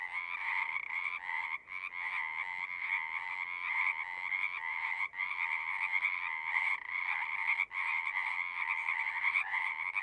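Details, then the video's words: A massed frog chorus from a horse-pasture pond, recorded with a Zoom unit: steady overlapping trills with a few sharp momentary drop-outs, around the second, fifth and eighth seconds. "Frogs singing"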